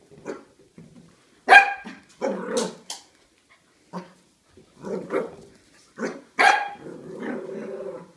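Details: Corgi squaring off against a huge pumpkin mixes low growls with several sharp, loud barks spaced irregularly over eight seconds, ending in a drawn-out grumbling growl.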